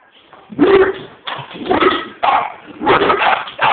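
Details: Onyx and Pearl, Mastiff and Pug mix dogs, go after a vacuum cleaner with a rapid run of rough, noisy barks, about five bursts packed closely together in under four seconds.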